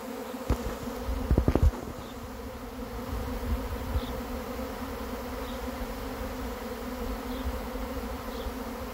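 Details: Honey bee swarm arriving as it is being caught: a steady droning hum with a low and a higher band. Loud handling thumps and rumbling noise come in the first two seconds.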